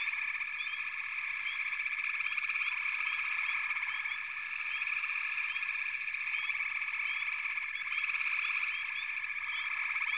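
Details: Many frogs call together in a continuous chorus, a thick shimmering trill with short clicking notes popping out roughly every half second to one second above the steady background.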